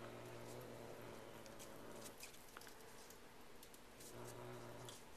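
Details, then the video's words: Ishi, a Bengal cat, growls while guarding a newly received feather toy: a low, steady rumbling growl holds for about two seconds, breaks off, then returns briefly near the end, with faint clicks and rustling around it. "Ishi the Cat Growling Like a Dog"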